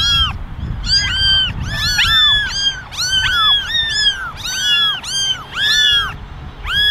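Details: Eleven meowing kittens in a basket, ten ginger and one white, wanting attention; a dense chorus of overlapping arched meows, almost continuous, several kittens calling at once.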